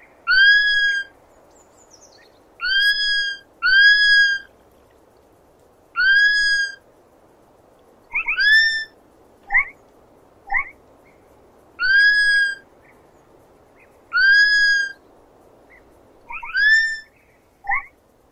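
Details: A sloth gives its chirp, here with 8D spatial processing: long, pure whistles rich in harmonics, some doubled in quick succession, interspersed with short upward-sweeping squeaks, spaced irregularly every one to two seconds in near silence.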